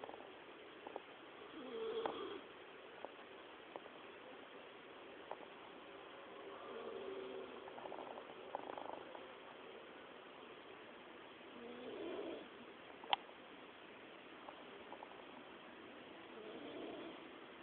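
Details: A dog snoring: soft, breathy rasping swells come every few seconds in a quiet room, with a sharp click near the end.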